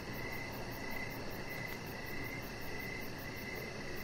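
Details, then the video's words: Brief stretch of evening crickets near a deck: rhythmic short chirps repeating continuously against a steady noisy background. "3 Hours Of Chihuahua Puppy Laying On Deck with Cricket Sounds"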